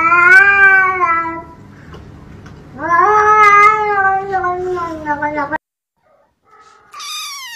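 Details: Kitten meowing in a compilation: two long harmonic meows with a quieter stretch between, then a brief silence and a high thin mew at the end; faint low hum behind.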